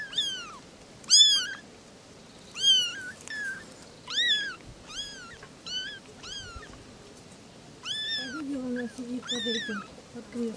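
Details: Three little kittens talking, calling in a steady series of high, arched mews roughly every second, each rising then falling with bright harmonics; a lower, softer meow joins near the end over a quiet room background.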